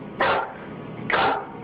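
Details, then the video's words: Nervous full-grown dog backing toward a door, avoiding something it will not approach; two separate sharp barks nearly a second apart over a quiet indoor room tone. "Listen, when your full-grown dog is barking nervously and actually backing towards the door to get away, it's time to get the heck out of that room yourself."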